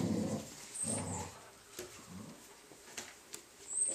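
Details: Three-week-old Cardigan Welsh Corgi puppies giving low, rough grunting and whimpering sounds in short bursts, with soft rustling and shuffling between them indoors.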